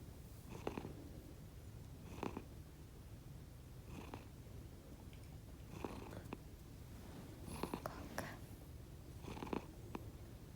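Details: Sleeping rescued pet cats Konbu and Myun, indoors, give an unusual sound different from their normal purr: a continuous quiet low rumble, with soft breathy bursts recurring about every one and a half to two seconds.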